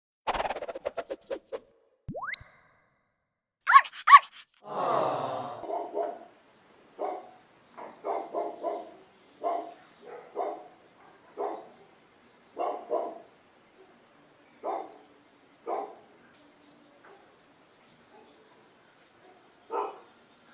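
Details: Golden Retriever puppies from a litter: short yelping barks and grunts, at first quick and clustered, then spaced about every half second to a second, with a brief rising squeak early on and quiet gaps between calls.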